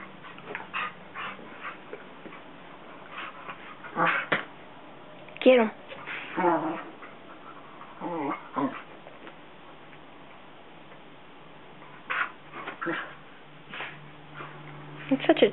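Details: Two pet Basset Hounds, Guinness (almost 7) and younger CJ (almost 3), play on a couch after waking, the older one lying down. Short whimpering yips and growly, wavering bark bursts come in scattered clusters, with a person talking and urging them on.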